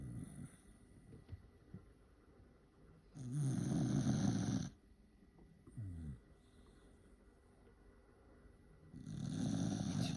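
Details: Corgi snoring after growing tired of waiting for a treat: loud, rumbling low snores in long bursts roughly every five to six seconds, with a shorter snort between them and quiet breathing in the gaps.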